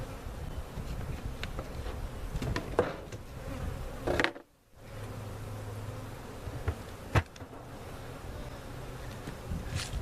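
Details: Honey bees and comb from a cutout set into their permanent home at Jerome Bee Farm in Central Oklahoma; a dense low buzzing drone with handling knocks and a short silent gap around four seconds.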